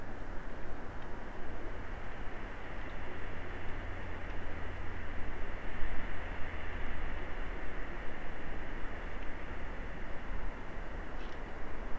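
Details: Steady low rumble with broadband hiss throughout, like distant traffic or machinery, and no animal voice.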